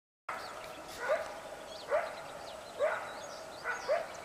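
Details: Coyotes in the morning on the West Walker River, giving short sharp barks at roughly one-second intervals, each a brief burst rising near 600 and spreading upward, with faint bird chirps high above.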